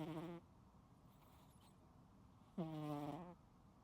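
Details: Sleeping cat snoring loudly: two tonal, humming snores, a short one at the start and a longer one with a rising onset about two seconds later, separated by quiet room hiss.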